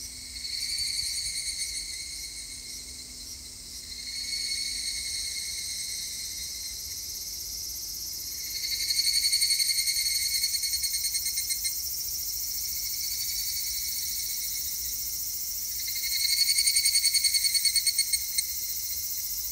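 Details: Evening cicada (higurashi) singing on 3 August 2021: a high, shimmering pulsed trill that swells and fades in three long waves about seven seconds apart, steady and bright throughout, with no other clear sounds.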